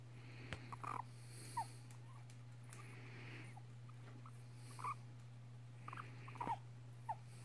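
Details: Five-and-a-half-year-old pet female guinea pig, indoors, licking a man's nose and squeaking. Quiet, short squeaks come in scattered clusters, a few with a downward slide, with faint snuffles and a constant low hum in the background.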